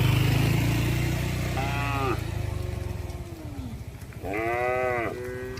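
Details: Cattle moving as a herd along a road: a loud bellowing moo, then a lower moo that slides downward, and a second strong bellow near the end. Engine rumble fades in and out underneath.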